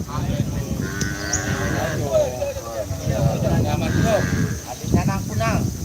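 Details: At a karapan sapi bull race in Pamekasan, Madura, Indonesia, a cow lows briefly in the first two seconds, partly masked by nearby men talking and general crowd noise.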